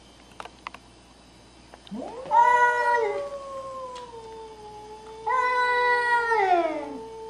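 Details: Two cats, a Scottish Fold and a Nebelung, fighting; two long drawn-out yowls, each rising sharply, holding a wavering tone and then sliding down, the second starting about three seconds after the first.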